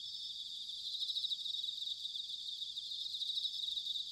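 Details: Autumn bell cricket song recorded in Sanuki, Chiba Prefecture, Japan: a continuous bright, high-pitched ringing trill with fast pulsing texture and gently rising and falling loudness over four seconds.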